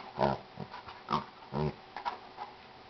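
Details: A Jack Russell Terrier puppy romps with a gentle 95-pound Chesapeake Bay Retriever inside a home; two low, buzzy growls a little over a second apart, with softer grunts and small yelps between them.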